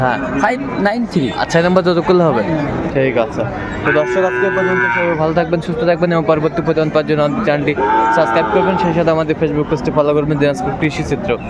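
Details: Small bull calves bought by a farmer from Cumilla, Bangladesh, on 6 January 2025; drawn-out, low harmonic moos of a second or more rise over a steady backdrop of people talking and chattering nearby.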